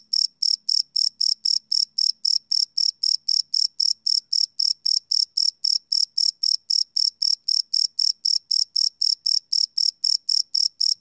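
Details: Live night recording of crickets on a Sony PCM D100 field recorder; piercing high chirps pulse regularly, close to four per second, with a faint low hum early on.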